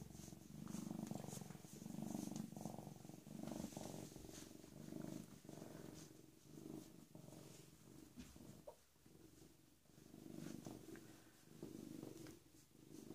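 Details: PeeWee, a rescued female cat about 18 or 19 months old, recently spayed and once a mother of kittens, purrs steadily in low rumbling waves that swell and fade roughly every second, with faint handling noises around.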